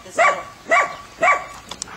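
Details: An Airedale puppy named Lilly meets three Weimaraners: three clear, ringing barks in quick succession, roughly every half second, followed by a couple of faint clicks.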